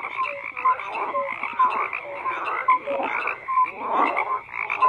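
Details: Croaking frogs: a steady raspy chorus under repeated short clear notes, a low one and a higher one alternating roughly every second, plus a louder rattling burst near the end.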